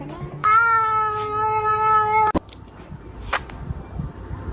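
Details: A kitten gives one long steady meow lasting nearly two seconds, a rich harmonic tone held level, then stops abruptly; faint clicks and a quiet room follow.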